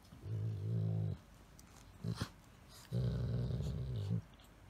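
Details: Golden Retriever Elena grumbling playfully while roughhousing with a small Chihuahua-Shih Tzu housemate; two sustained low growling moans of about a second each with a brief muffled sound between them.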